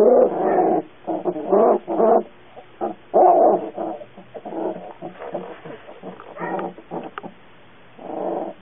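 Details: Young puppy whimpering: a string of short, nasal whines and yelps, some clustered close together, others spaced out, fading to softer murmurs before one last whine.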